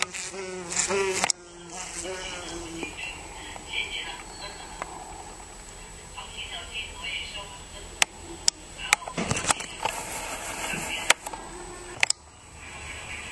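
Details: Teddy bear bee lost inside a house, buzzing in a small room: a steady, rich hum with stacked overtones, briefly wavering early on, broken by sharp knocks and clicks as it bumps about.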